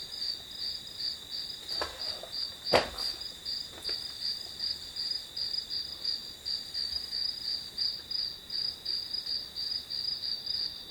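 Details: Chirping grass insects recorded as white noise for studying: rapid high pulses, roughly three a second, over a continuous ringing tone, with a sharp click near the third second and a few faint knocks.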